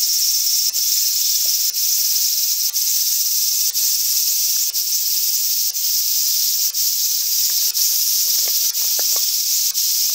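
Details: Steady frying buzz of the Japanese large brown cicada Graptopsaltria nigrofuscata, dense and high-pitched, briefly interrupted about once a second, with faint low clicks underneath.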